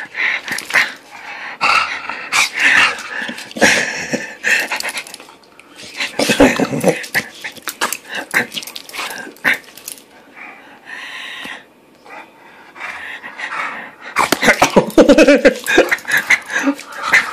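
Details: Bulldog at play, filmed 20 August 2013: rough growling grumbles and snorts in uneven bursts, louder at the start and again in a harsh, gravelly bout toward the end.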